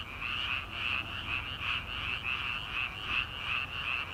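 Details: Frogs in rice paddies during early summer at night, a continuous massed croaking chorus of quick repeated pulses, evenly paced, with a faint low background rumble beneath.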